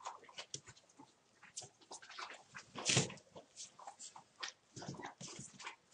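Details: Puppies about one month old playing, soft whimpers and yips scattered through, one louder squeal near the middle, with rustling and pawing sounds around them.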